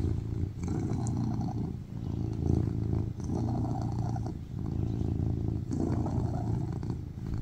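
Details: Tuxedo cat Baby Charlie purring on a lap: a rough, low, throbbing rumble alternating between inhaled and exhaled phases about every two seconds, no other sounds.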